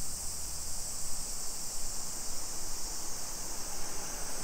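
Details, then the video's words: Summer cicadas in a suburban neighborhood of Nisshin city near Nagoya, Aichi Prefecture, Japan, at 2 PM on 28 July 2021, heard on a street walk: a steady, unbroken high buzzing chorus over low rumbling footstep and handling noise. "Summer Cicadas Sounds"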